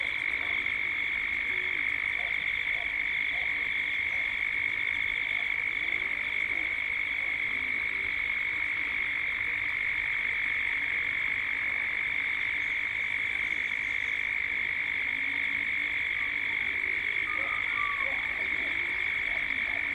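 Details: Cicadas in Gippsland, Australia, droning continuously at dusk in a high, steady whine with a pulsing overtone, while faint short bird calls break through near the end.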